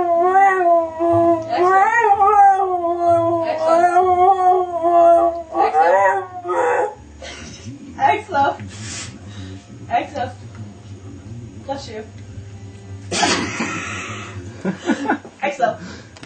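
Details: A Siberian husky (Canis lupus familiaris) gives a long, wavering howl that rises and falls, then breaks off into softer noises, sneezing at the end.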